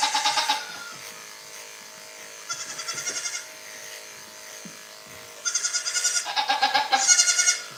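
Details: Goats at The Willful Goat Farm & Home: four loud, bleating calls with a fast quavering tremble, each under a second, spaced a couple of seconds apart over a steady indoor hum.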